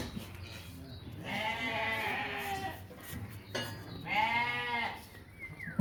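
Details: At a livestock market holding ewes and rams, two long, quavering bleats with rich harmonics, the second rising and falling, are separated by a short pause. Faint voices and market noise sit underneath.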